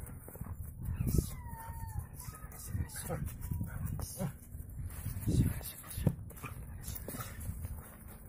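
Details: A six-month-old Border Collie plays with its handler for the first time as an exercise and brings the toy back on its own to keep the game going. Thin, high whines slide downward, mixed with the handler's voice praising it and handling noise.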